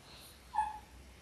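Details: Litter of six Labrador Retriever puppies in their sixth week, born January 18, 2022, on an indoor live puppy cam; one brief, thin whine, flat then slightly falling, lasting about a quarter second over quiet room hiss.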